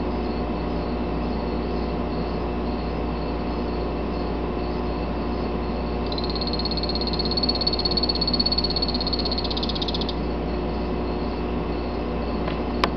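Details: Male Salvias-morph Phantasmal poison frog, a captive from an Ecuadorian line named Thor, calls midway with a fast, evenly pulsed high buzzing trill of about four seconds, set against steady low mechanical humming and a sharp click at the end.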